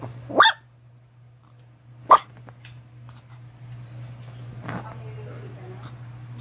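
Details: Maltese and Shih Tzu mixed-breed dog with white fur giving two short sharp barks about one and a half seconds apart, then quieter rustling and a low steady hum throughout.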